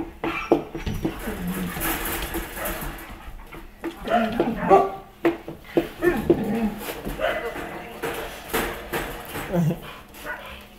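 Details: West Siberian Laika named Ike, a pet dog, being petted and fussed over by two people, giving soft, high, nasal whimpers and short whines in scattered bursts, mixed with close human talk and handling noise.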